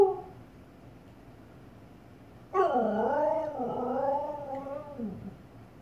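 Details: A female Siberian Husky barking at her own reflection in a fireplace gives a drawn-out, wavering bark that slides up and down in pitch like a howl.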